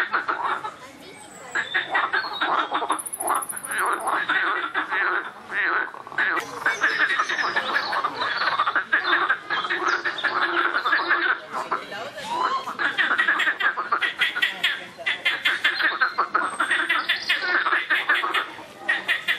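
Many frogs call at once, their harsh, pulsed croaks and rattles merging into a continuous, noisy chorus. A brief high-pitched tone briefly rises above the din early on.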